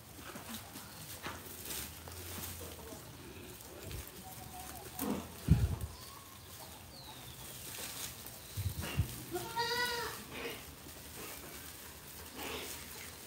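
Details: Goat brought from the Modnimb market; one wavering, harmonic-rich bleat rises and falls late in the recording, over steady broadband background noise with some low rumbling.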